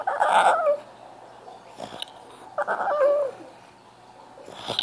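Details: French Bulldog whining for attention: two short bouts of high, quavering cries that dip and drop in pitch, about two and a half seconds apart, with faint breathy sounds and a soft click between them.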